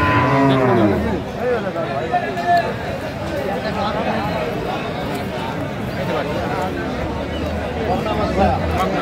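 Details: Cattle, improved-breed dairy cows and calves, at Aftabganj cattle market, Dinajpur, Bangladesh, on 19 December 2024: a deep, drawn-out moo opens, a second low moo near the end, under constant crowd chatter and market bustle.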